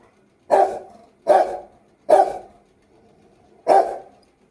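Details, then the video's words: A very angry Rottweiler gives four gruff, booming barks, roughly one per second with a short pause before the last, each bark ending in a brief rough tail. "luckyi bahut gussa ho gaya #rottweiler"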